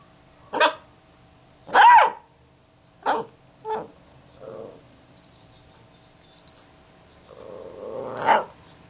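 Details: A two-month-old female Basset Hound puppy, frustrated at being ignored and filmed, gives a series of short, hoarse yelping barks at irregular intervals.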